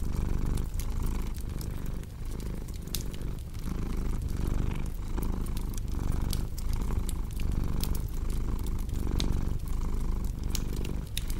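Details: Steady rumbling purr of a cat, breath-driven pulses repeating regularly with brief pauses between, accompanied by frequent sharp pops and crackling from a wood fire.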